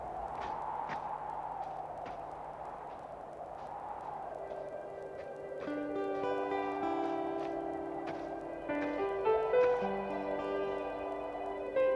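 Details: Guitar-led instrumental music with sustained plucked tones and rising chords plays throughout, with no animal sounds.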